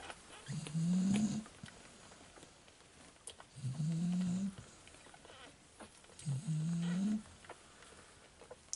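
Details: Fawn male Staffordshire Bull Terrier puppy from the 34th litter of the STAFFORDLAND kennel, just woken, filmed 19 October 2018; three low, drawn-out moaning whines about a second each, slightly rising at the end, spaced roughly every three seconds in a quiet room.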